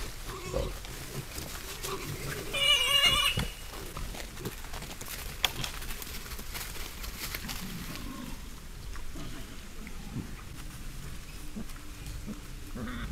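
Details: Wild boars, a herd in a spring forest caught by trail camera: low rustling grunts throughout, with a brief harmonic squeal near the third second and scattered snuffling and footstep noises.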